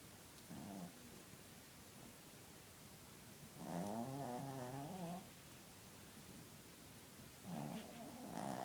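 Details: A pet dog snoring while asleep indoors: soft, low rasping snores in bursts a few seconds apart, the loudest around the middle with a wavering, buzzy texture, separated by quiet breathing.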